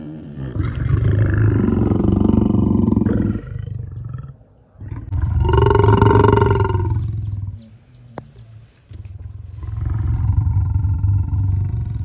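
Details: Lion's low rumbling, deep pulsed throbbing in three long bouts, the middle one swelling into a louder, fuller roar-like groan before fading back to a rumble.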